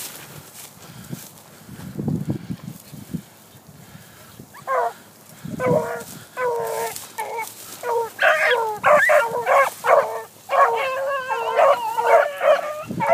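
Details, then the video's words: Young dogs running a cottontail rabbit; quiet rustling and low sounds at first, then a rising run of sharp barks and yelping bays, coming roughly once a second and growing denser. "Rabbit Hunting Dogs"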